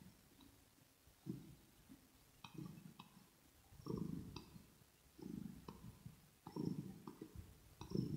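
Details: Kitten named Rosetta purring close to the microphone in a small indoor space, recorded ear to ear: low rumbling bursts swell and fade about every second, with light clicks and smacks from grooming between them.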